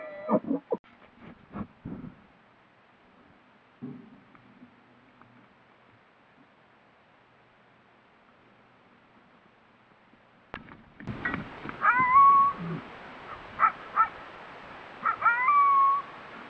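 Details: Big bull elk out in the dark at night: after scattered knocks and rustling, three loud high whistled bugles with sliding, squealing notes burst out in close succession over the final five seconds.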